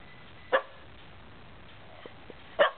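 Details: A pair of adult Shetland Sheepdogs at wild play, with two single sharp barks about two seconds apart and a couple of faint clicks between them in a quiet room.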